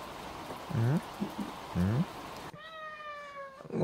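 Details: Cat meowing in a home while others sleep in other rooms: low, short, wavering mews over background hiss, then a clear level, sustained harmonic meow after a cut.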